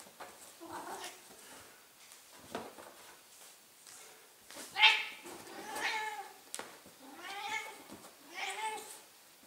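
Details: ['A 15-year-old female Ragdoll cat howls indoors, wanting to be wrestled. Several loud, long, bending meows come a second or two apart, with soft handling noises between them.']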